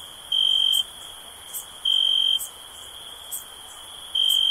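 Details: Cricket chirping: steady, high, pure-toned bursts of about half a second, repeated roughly every two seconds over a faint hiss, with soft high ticking between bursts.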